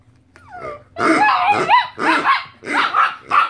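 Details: A 2.5-year-old Chihuahua reacting to a squeaked pig toy it hates, with a second brown dog also present: rubbery squeaks, then four sharp, high, harmonic barks with yelping pitch bends in quick succession.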